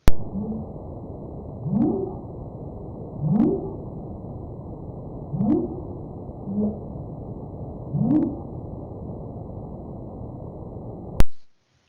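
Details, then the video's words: Underwater humpback whale song off Scotland, real-time and not sped up, as heard swimming close by: low, moaning upsweeps repeated about every one and a half seconds, from monitoring with underwater listening stations. "This hasn't been speeded up, so this is as you would hear it in real life if you were swimming underwater close to a humpback whale."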